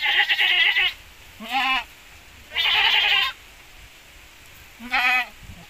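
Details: Javanese and Boer cross goats bred for larger kids; four loud, vibrating bleats, the first and third long and wavering, the others shorter, with a quiet low background hum.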